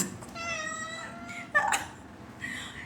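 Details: Domestic cat in Dubai meowing: a clear tonal meow in the first second, then a sharp brief noise burst and a fainter second meow toward the end.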